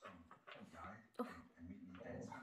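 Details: A 10-year-old pet Westie named Budi vocalizes indoors during a belly rub, making low, moaning, whimpering grumbles in uneven runs with one sharper yelp in the middle, while a person's voice mixes in.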